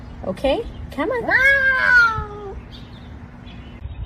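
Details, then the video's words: Kitten meowing: short squeaky chirps lead into one drawn-out meow of about a second that slides gently downward in pitch and fades, over a low steady background hum. "kitten meowing"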